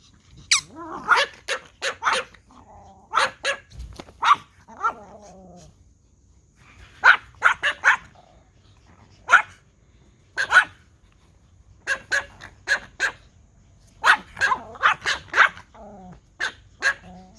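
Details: Pomeranian Toy Pom dogs bark at a whistle, giving sharp, high-pitched yapping barks in quick bursts.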